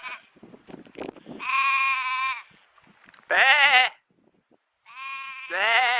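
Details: Goat (Capra hircus), bleat.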